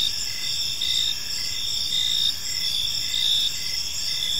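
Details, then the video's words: Crickets in a peaceful park at evening, their high, unbroken trilling swelling and easing in slow, uneven pulses, with layered bands of shrill tone and a quiet hiss underneath. "Park Serenade: Cricket Sounds in a Peaceful Park"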